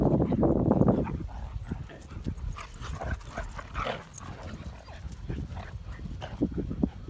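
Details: German Shepherd puppies at play give a loud opening bark-growl, then scattered yips, whines and soft grumbles.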